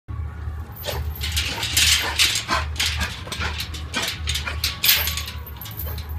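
Rottweilers fighting, with harsh, rapid, irregular snarls and barks over a low steady hum.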